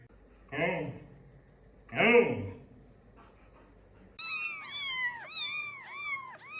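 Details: Domestic cat meowing indoors: two muffled, rounded calls, a short pause, then a run of four or five bright, arched meows in quick succession, each rising and falling, with faint background voices.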